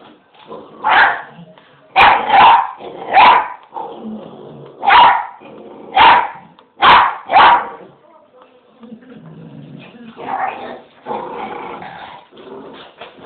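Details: English bull terrier pup at home telling its owner off, a run of about seven loud, harsh barking yowls at irregular one-second gaps, followed by softer grumbling vocalizing and a person talking.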